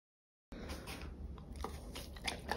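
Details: A Golden Retriever eating pears, with wet crunches and sharp biting clicks in a small room.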